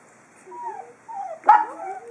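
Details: Four-week-old pug puppies taking their first steps outdoors: thin, wavering whines that slide up and down in short bursts, then a sharper yelp-like squeak, then more sliding whimpers.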